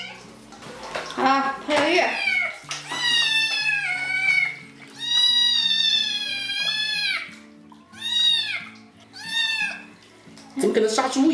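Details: Small kitten complaining loudly during a bath, crying hard before giving up; long wavering meows and several short arched cries separated by pauses, with a person talking and background music.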